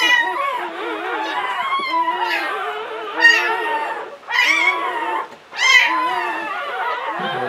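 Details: In 2013 an English Springer Spaniel called Latte, giving birth within a litter of nine, cries in wavering, moaning whines roughly every second, with short quieter gaps and sharper rising yelps near the end.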